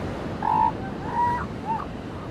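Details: Three short, level, tonal calls from seal pups on a beach, the second longest, spaced under a second apart and fairly soft against continuous wave noise.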